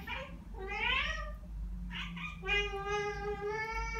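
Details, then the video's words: Ragdoll pair Ao and Aki, one year and nine months old, mimicking birds after hearing birdsong indoors: a run of arching, wavering chirps followed by one long steady harmonic call lasting over a second and a half. "고양이 채터링? Cat Chattering"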